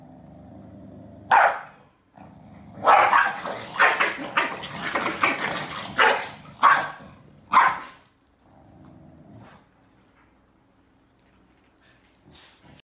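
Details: Two corgis, a male and a female, trade sharp, repeated barks and grumbling growls while snapping at each other, a noisy back-and-forth squabble over who gets to sleep on the bed, in Beijing on July 28.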